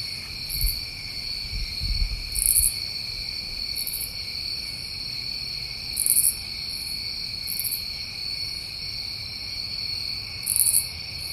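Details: New England summertime crickets in a dense chorus: steady, layered high trilling drones with brief, brighter, very high buzzy bursts at irregular intervals of roughly one to three seconds, plus faint low rumbling near the start.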